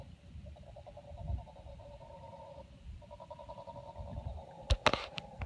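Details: Mantled howler monkeys, two troops on opposite banks of the Tortuguero River near Tortuguero, Costa Rica, howling aggressively at each other in a dispute; distant, drawn-out pulsing roars in two long bouts, with sharp knocks from a canoe paddle near the end.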